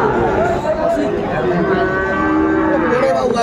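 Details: Lowing from Sahiwal bull calves for sale at a cattle market, 20 April 2024. Wavering, tonal moos run through the clip over a bed of crowd chatter and people calling out prices.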